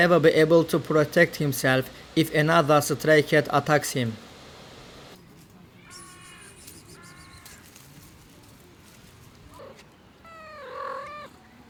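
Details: Abandoned kitten found freezing in the snow after two days at -11°C, then rescued: after a stretch of human talking, a few thin, high, arching meows sound at intervals of a few seconds, the last one louder and longer.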